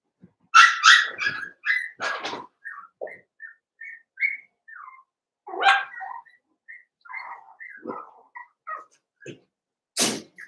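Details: Eight Cavalier King Charles Spaniel puppies from two litters, Daisy's and Robin's, playing together indoors: loud opening yelps, then a string of short high whining squeaks and whistle-like whimpers, another sharp yelp midway, ending in a harsh burst.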